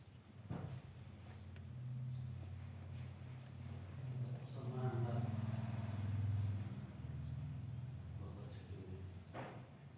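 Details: Kitten at day 16 of life gives a continuous low purr that swells and fades in slow waves, with a few sharp clicks near the start and end.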